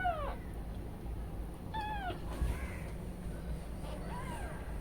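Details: Newborn kittens left alone while the mother cat is away, crying repeatedly: sharp descending mews with bright harmonics, about three separate calls spaced a second or two apart, over low constant hum.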